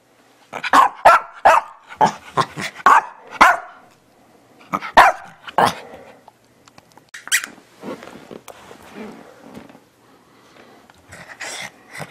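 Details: Teddy bear Shih Tzu Bichon Frise dog "talking": a rapid burst of sharp yipping barks, a pause, two more barks, then softer scattered grumbling sounds and a few final yips.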